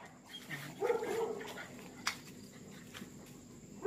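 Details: Confined dogs during mating season, jealous and sad: soft, drawn-out whining tones near the start over background hiss, with one sharp click midway.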